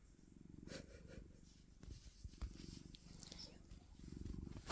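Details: Pet cat just woken from sleep and wanting food, purring steadily: a low, fast-pulsing rumble that runs through the whole stretch, with a soft woman's voice and light handling noises over it.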